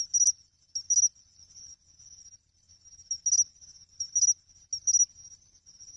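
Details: Pine cricket singing at a reservoir pond in Ehime, Japan, in August, its chinchirorin song. High, pure chirps come in short bursts, with brighter clicky accents roughly every second and soft trills between them.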